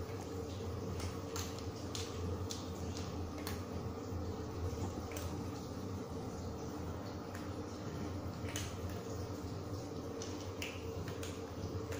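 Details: Indoor room ambience with dripping, squishing liquid sounds and a steady low hum; no animal voice heard.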